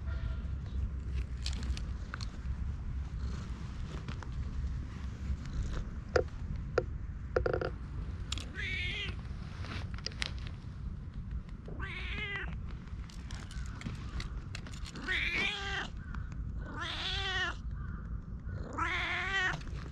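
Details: Friendly stray cat met by chance in a forest, fond of being stroked, filmed on a GoPro: several arched, rising-then-falling meows a few seconds apart in the second half, over a steady low rumble and scattered clicks.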